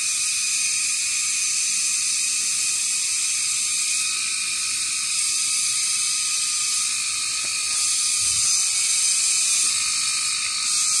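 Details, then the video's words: Cicadas known locally as kagang, calling at 6 pm in the dry summer season from tall trees where many gather; a loud, continuous, shrill buzzing drone fills the high range, steady throughout with slight pulsing. "Huni ng kagang"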